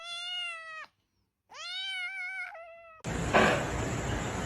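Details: Domestic cat giving two clear meows, each about a second long, harmonic and slightly falling at the end, separated by a short silence, followed by a loud burst of broadband noise.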